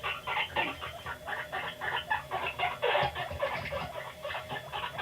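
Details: Guinea pig Panda reacting to videos at home, giving a string of short, clucking squeaks in quick succession, about four per second, with a dip in the middle; steady indoor background noise.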